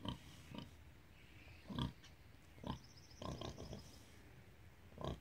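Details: Hereford sow Rosie singing to her babies when it is time to eat: a few deep, short grunts separated by pauses, some in quick pairs, over quiet background.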